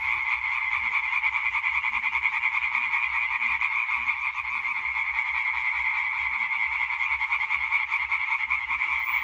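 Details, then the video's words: Many European tree frogs calling together in a concert recorded 20.05.2023, a constant harsh pulsing din of fast repeated croaks with no pauses, a few faint low sounds beneath. "Hyla arborea Konzert Concert"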